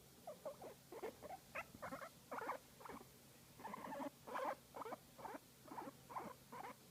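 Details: A guinea pig, apparently enjoying a massage, makes short, squeaky chuttering bursts, roughly two each second.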